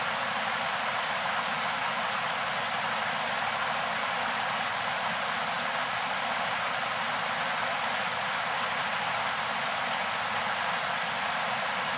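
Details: Steady rushing water, like a stream or heavy rain, fills the whole stretch evenly, with no animal call standing out.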